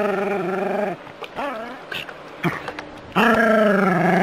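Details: Jack Russell Terrier vocalising while playing with hose water: sustained, wavering, tonal howl-barks with a short quieter gap of small yips and whines before a loud drawn-out cry resumes.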